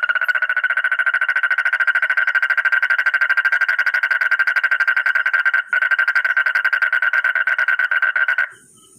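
A frog gives a long, rapid, pulsing croak that holds one steady, fairly high pitch.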